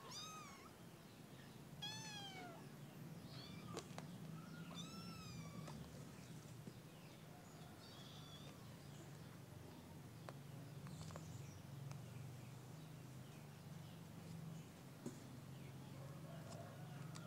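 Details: A squad of kittens giving quick thin meows in a burst during the first six seconds, then only faint calls over a constant low hum and light rustling.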